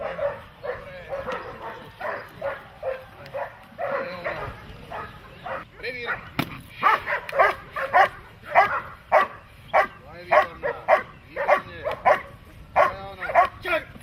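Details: Dog in protection training, a German Shepherd or Malinois, barking rhythmically about twice a second, softer at first then louder and sharper, with a brief clatter midway and voices behind.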